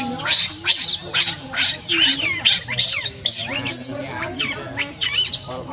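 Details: An angry monkey named Rainbow, with Leo and Libby, screams in a harsh, shrill stream of overlapping shrieks. The bursts sweep rapidly up and down, come in quick successive pulses, and barely pause.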